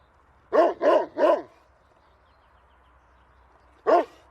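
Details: Angry dog barking: three sharp, harsh barks in quick succession, then a pause of over two seconds before one more bark, with a faint steady hum in the background.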